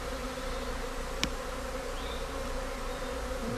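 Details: Swarm of honey bees in Britain settling after a beekeeper guides them in; steady droning hum throughout, with a single sharp click near the start and faint higher buzzes of individual bees passing.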